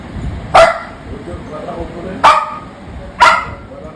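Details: Angry pet Labrador Retriever barking indoors: three sharp, short barks spaced about one to two seconds apart, with a woman speaking Bengali around them and offering a toy.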